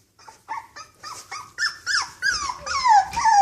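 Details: Cocker Spaniel puppies outdoors for their first time; a run of short squeaky whimpers about twice a second, building into longer, louder whines that slide downward in pitch.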